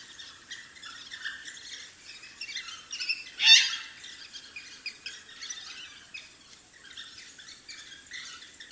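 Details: African wild dog puppies at their den: a running series of thin, high chirps and twittering squeaks, with one louder, sharp squeal partway through.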